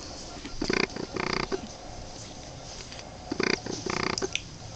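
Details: Boston Terrier puppies, 23 days old, make two short bursts of rough, pulsed growling, each about half a second long, separated by a quiet gap.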